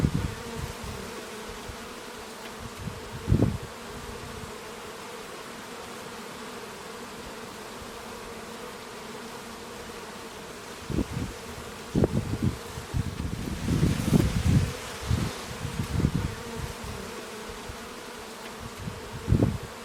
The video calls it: Bees and clues. Full HD. The real hum of bees. Sounds of nature.